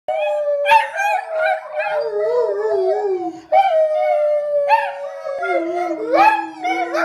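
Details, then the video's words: Rat terrier howling in long, wavering, tonal notes, each sliding downward and trailing off, the last dropping lower and holding steady; a sustained, singing quality with few breaks. "the rat terrier sings the blues"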